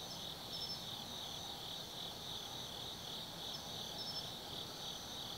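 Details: Insects of an autumn night in the forest of Tsukimi no Mori, Kaizu City, Gifu, Japan: unbroken shrill chirring with wavering pulses and a short high note recurring roughly every three seconds, low distant hum underneath.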